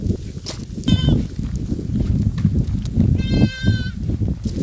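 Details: Goat calls twice, first a very short high bleat, then a longer, steadier wavering bleat, both partly masked by heavy low rumbling noise.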